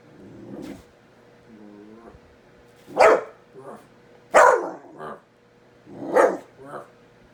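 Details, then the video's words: Pet dog barking at a kitten during play: short sharp barks at irregular intervals, each followed by a softer yip, with a quiet voice early on and a steady low hum indoors. "My dog barking at a kitten"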